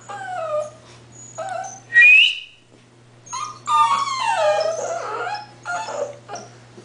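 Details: English Bull Terrier puppies at 8 weeks old whimper and yelp: thin, high whining cries that slide downward, a sharp rising squeal near two seconds, then overlapping wavering whines from several pups, over a low steady hum.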